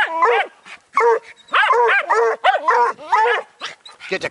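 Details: Young Bluetick Coonhound, with a Jack Russell terrier nearby, barking at a raccoon: bursts of two or three yelping barks separated by half-second pauses, while a man urges the dog on and praises it.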